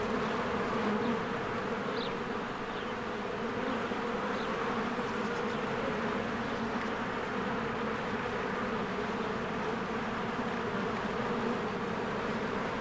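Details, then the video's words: Honeybees flying in and out of their hive in spring as flowers bloom; a dense, steady droning hum of many wings with layered buzzing tones, faint high chirps of birds flickering above. "1 Hour of a Beehive ASMR"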